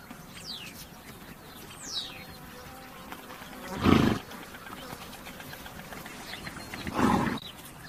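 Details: A horse gives two short, harsh, breathy blasts about three seconds apart, with faint bird chirps; horse call.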